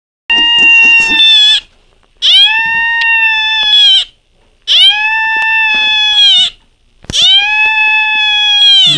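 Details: A female Beagle gives what is described as the first cry of her life: four long, drawn-out, steady-pitched wailing cries. Each is about two seconds long, rises slightly at the onset and is separated by short pauses. Faint rustling is heard between cries.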